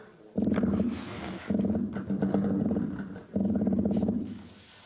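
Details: Atlantic croaker (Micropogonias undulatus), a cousin of the toadfish, drums underwater in rapid, low, buzzy pulse bursts about every second, made by very fast muscles moving along its swim bladder.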